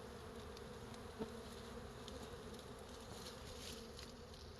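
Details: Brief steady hum of many honey bees on a large wild beehive hanging from a forest tree, even and unbroken, with a soft tick and a passing bee's tone just after one second.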